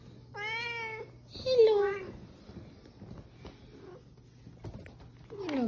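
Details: Serval cat named Nala, kept as a pet, giving loud harmonic meow-like calls, one held level then a louder falling one, with Spanish speech and background music around it.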